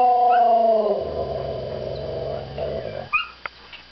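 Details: Male pet Siberian Husky vocalising in a way said to sound like Chewbacca. A whining howl slides downward into a rough, rattling, throaty moan lasting about two seconds. It ends with a few short high yelps.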